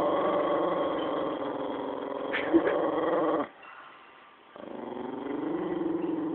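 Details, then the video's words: Jack Russell Terrier growling aggressively when the owner's brother is around, described as not usually like this; a continuous rough, rumbling growl with a short break near the middle, then resuming, with a person speaking nearby. "Vicious Jack Russell"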